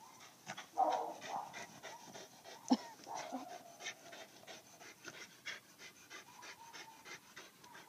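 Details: Farm dogs panting in rapid, breathy, rhythmic strokes, with a few brief whining tones near the start and a louder sharp knock partway through.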